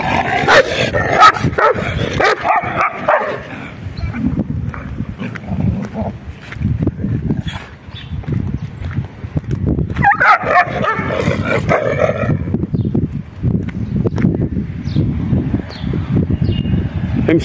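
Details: Dogs fighting to mate: harsh barks and yelps burst out at the start and again about two-thirds through. Low rumbling noise and scattered voices fill the gaps.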